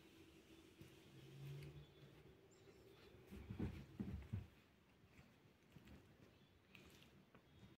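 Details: Chihuahuas, a puppy and an adult dog together: a cluster of short, low, rough bursts packed into about a second near the middle, against a steady low indoor hum and a few faint clicks.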